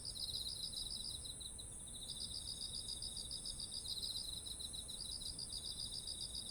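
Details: Autumn insects singing beside ripe, heavy-eared rice fields, recorded on a ZOOM H1essential: a steady high whine near the top of the range over rapid pulsed chirping, with brief pauses in the pulses, and a low ambient rumble beneath.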